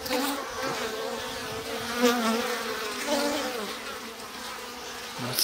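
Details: Steady hum of Japanese honey bees, including drones, at a stacked-box hive in spring with the sliding bottom board open; continuous layered buzzing with a wavering low tone, occasional soft knocks and a man speaking briefly.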